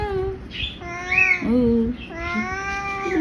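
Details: Batul Babu, a pet orange ginger cat kept indoors at home, gives a drawn-out, wavering meow that rises and then falls, partly overlapped by a woman's affectionate talking in Bengali in a small room.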